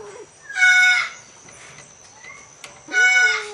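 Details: An Asian leopard cat (Prionailurus bengalensis) mating with a Bengal cat gives two loud, harsh wailing calls about two seconds apart.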